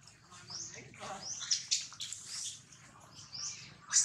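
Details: Jinx, a baby monkey, cries loudly after Jade bites it hard. Thin, piercing squeals slide upward in short sweeps, with sharp peaks and a final loud shriek.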